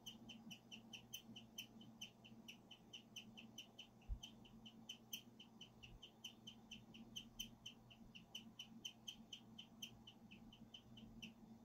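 A guinea pig chirps steadily, repeating high, bird-like notes several times a second.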